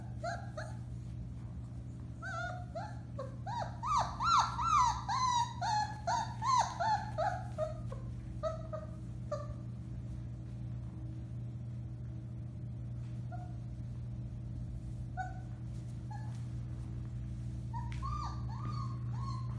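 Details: A 4-week-old litter of Alaskan Malamute puppies, recorded March 30, 2021, gives thin, rising and falling howls and yips in a quick, overlapping chorus.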